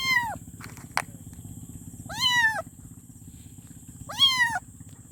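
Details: Kitten meowing for its mother: three short, high, arched meows with rich harmonics, each about half a second, spaced roughly two seconds apart, over a steady low hum and a faint high electrical whine.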